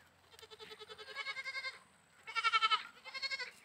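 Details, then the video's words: Goat bleating in three wavering, pulsing calls: a long quavering bleat, a short pause, then a louder, brighter bleat followed by a softer final one, against a quiet background. "bakri ki awaaz"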